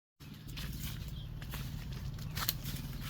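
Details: Bees at a rainy-season honey harvest, a steady low droning hum lasting the whole stretch without a break, with faint higher rustling and handling noises over it.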